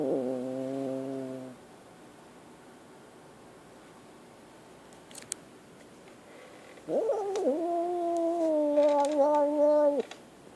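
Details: Frightened kitten: a steady droning wail ending at about one and a half seconds, several seconds of quiet with faint clicks, then a three-second cry that jumps up sharply and holds a level, slightly wavering tone.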